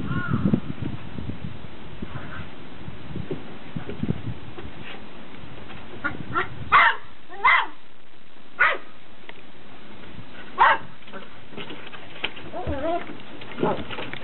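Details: Beagle puppies on day 69, out for their first run on a deck, give several sharp high yips spaced a second or two apart, with scuffling paws, clatter and low soft whines between them.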